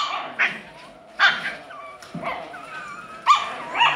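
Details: Alaskan Klee Kai puppy giving a few short, sharp yips spaced about a second apart, with faint thin whines trailing between them in an otherwise quiet room.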